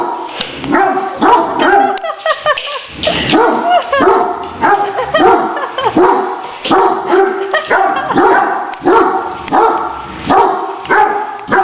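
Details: Excited barking from Great Danes at play with a remote-controlled toy tarantula: dense, rapid barks, often two or three close together, steady throughout with only brief pauses.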